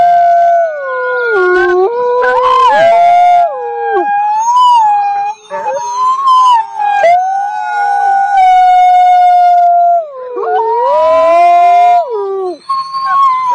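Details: Several wild wolves howl together in overlapping chorus: long sliding tones that dip and rise, some wavering and yodel-like, others held flat, with higher yips and quavering voices layered over a steady lower howl throughout.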